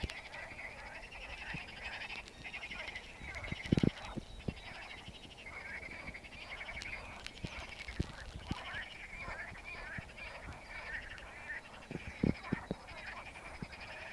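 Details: Many frogs in a lake call together in a steady, churring chorus, with scattered sharp clicks and knocks.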